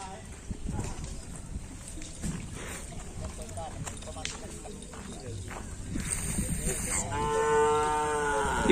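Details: Cattle training for the kerapan sapi bull race at the Asemanis field on 6 November 2022. A drawn-out, harmonic lowing moo comes near the end, over chatter, footsteps and a brief hiss.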